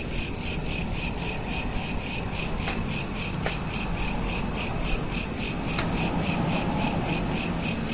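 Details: Crickets chirping at night, smartphone recording: steady, fast, high-pitched pulses, roughly four a second, stacked in bright bands, with a few faint clicks and a low background hum.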